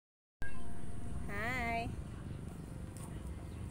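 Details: Affectionate orange cat playing with grass on a football field gives a single short meow, rising then falling over about half a second, over a low steady background rumble.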